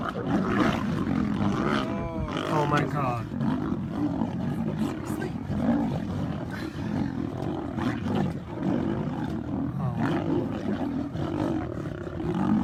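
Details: Several lions in a fight, a group attacking one lone lion that growls while resisting; continuous harsh, rasping growls and snarls with rough overlapping roars throughout, with a brief higher wavering cry near the start.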